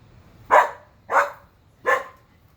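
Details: Three loud barks spaced roughly seven-tenths of a second apart from Whiskey, an Alaskan Husky pulling on his leash and barking at the neighbors because he is bored.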